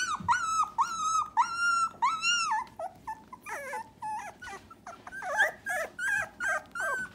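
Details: Three-week-old Dachshund puppies from Myrtle's O litter, very vocal: a run of high, drawn-out whines and squeals, each level then dropping at the end, repeated about every half second, shifting to shorter yelps later.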